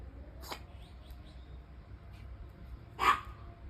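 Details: Sneezes from a puppy with a cold: a faint short burst, a pause of a few seconds, then one louder, sharper explosive sneeze, set against a quiet room.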